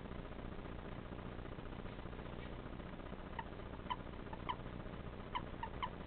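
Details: A pet common toad (Bufo bufo) gives short, squeaky croaks in an irregular series over a steady hiss. It makes this sound whenever picked up, unlike the males' breeding call, and the owner thinks it may confuse predators.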